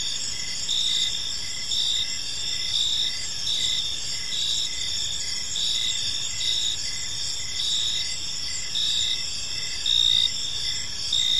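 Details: Evening park chorus of crickets: continuous high, shimmering trilling with bursts of chirps pulsing about once per second, many callers overlapping, soft low ambient hum beneath.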